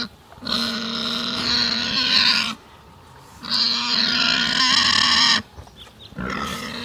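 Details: Pig out in a forest, letting out long, loud, rasping squeals of about two seconds each, separated by short pauses filled with low background rumble, three cries in all, the last cut off.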